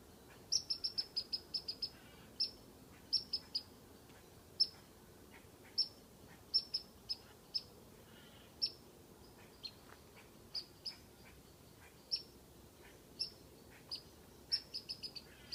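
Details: A squirrel up a tree gives sharp, high whistled chirps in quick bursts, teasing a cat.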